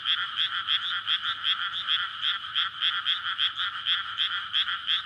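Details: Frog chorus at night in May from flooded rice paddies before planting, calling in courtship to breed; dense overlapping croaks pulse about three times a second in two bright bands, with no other sounds standing out.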